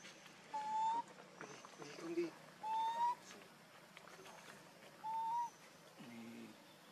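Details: Hungry baby monkey named Lucie crying to beg for milk while its mother refuses to let it nurse: three thin, whistled, slightly rising cries, each about half a second, repeated roughly every two seconds, with soft background rustling between them.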